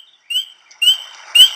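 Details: Spring peeper, a tiny frog and one of the first animals to wake from winter sleep in spring: three short, high, clear whistled peeps, each rising slightly, spaced about half a second apart, with no other sounds.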